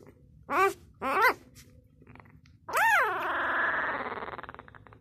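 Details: Labrador Retriever puppy, six days old, making two short high squeaks followed by a long, loud squeal that rises then falls and trails into a pulsing, fading whine, indoors.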